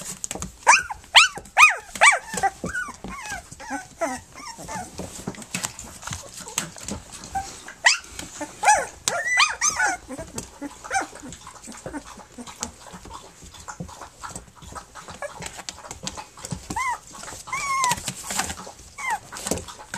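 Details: Three-week-old puppies of Flute, nursing and playing, give many short arched whines and squeaks in the first half, then only scattered whimpers, with faint rustling and shuffling between calls.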